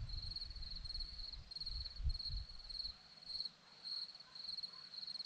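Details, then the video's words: A high, steady cricket chirp pulses on a hillside at Zorlesti, Romania, while low wind rumble fades out after the first few seconds, leaving the chirping alone. "Crickets sound"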